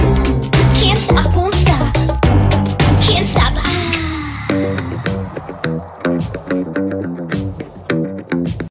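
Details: Loud electronic music with a heavy beat and some speech, with no animal sound standing out.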